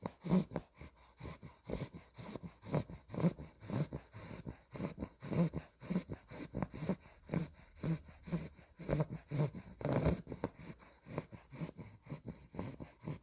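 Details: Two-month-old female Olde English Bulldog puppy, an exotic blue merle tri named Spaghetti, snoring while asleep indoors: low rumbling snorts repeating about twice a second in a quick, uneven rhythm, with occasional louder wheezy bursts.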